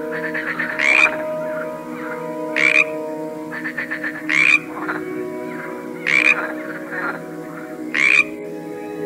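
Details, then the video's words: A chorus from a collection of frogs: harsh croaking bursts repeated about every one and a half seconds, broken by quieter rattling trills, with an even low drone throughout. "A cool collection of various frogs - Croaking sounds"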